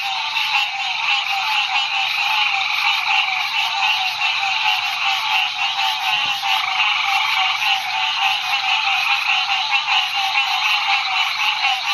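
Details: Male green tree frog calling beside a road at night in the Ouachita National Forest, within a dense roadside chorus; continuous overlapping nasal calls fill the mid and high range without pause.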